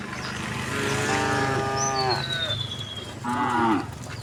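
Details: Cows living in the area roam a road as a calm group. One long, drawn-out moo that dips at its close is followed by a shorter, upward-bending moo. A thin descending bird whistle is heard between them.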